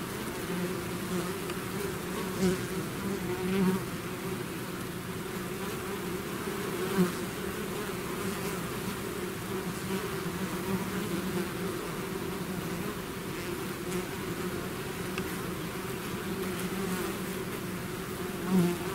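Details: Continuous drone of a bee swarm out of its hive, a thick low hum with stacked tones, punctuated by several short louder buzzes of individual bees passing near.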